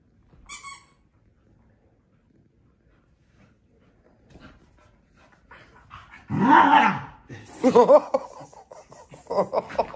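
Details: Rory, a Scottish Terrier, in a tantrum indoors while his owners are on holiday: after a quiet opening, a long loud wavering whine-howl builds at six seconds, followed by grumbling, modulated vocalising and a voice calling his name.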